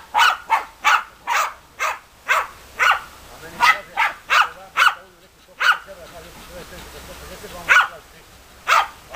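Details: Sharp barks from German Hunting Terriers Bagira and Cox von der Fuchskralle come in a quick series. They thin out midway, where low voices and soft whining murmur beneath, then return as single spaced barks.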